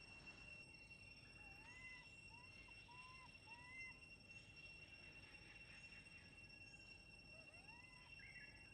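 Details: Elpida, a monkey crying from hunger among companions: a run of short arched, tonal whimpers, each rising then falling, about six in quick succession, then two more near the end, over steady hiss and a constant high electronic whine.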